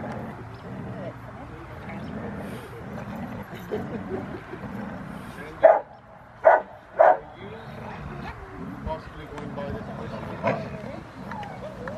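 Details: Rottweiler puppy named Foofy during post work in protection training, October 25, 2020; three sharp, loud barks burst out close together midway, set against ongoing talk and low background rumble.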